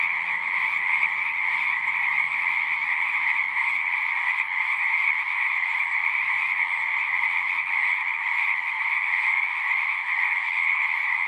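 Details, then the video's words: Many frogs call together from a pond in a horse pasture, recorded with a Zoom 6. A thick, continuous trilling chorus holds one steady level without pauses; no other clear sounds. "Frogs singing"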